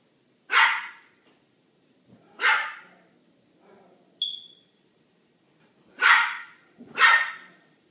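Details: A little dog barks at a big dog named Manolo kept behind a door; four sharp, broadband barks come in uneven pairs over eight seconds, with a brief high squeak between them.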